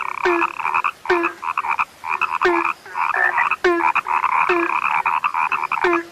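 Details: Rare frogs call in a busy chorus of short rattling croaks and trilled bursts, each cluster led by a crisp click and a low dull note, separated by brief lulls.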